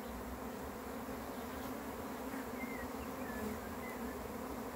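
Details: Arriving swarm of honey bees makes a thick, steady buzzing drone without pause, while a few faint, short bird whistles sound in the background.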